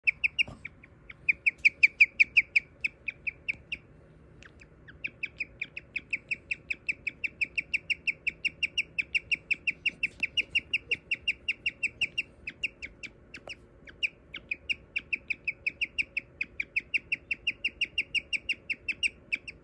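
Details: A male guinea pig almost 4 years old chirps in long runs of rapid, bird-like high notes with only brief pauses. It started while cages were cleaned, seemed trance-like, showed no distress and stopped after minutes; the cause is unknown.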